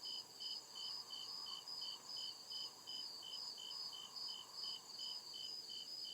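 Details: Real crickets calling at night in a deep forest, bright high chirps beating in a steady pulse against a continuous shrill background trill, low hum faintly present.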